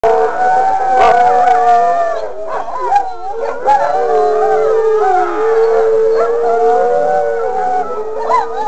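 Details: Wolfdogs howling together: several wavering, overlapping drawn-out tones that rise and fall and cross one another, with brief sharper yips breaking in, forming a continuous chorus.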